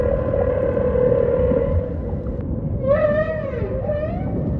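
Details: Humpback whale song with ocean ambience: a long steady mid-pitched moan, a short pause, then a rich harmonic upswept wail that wavers and falls away, over a low rumbling background.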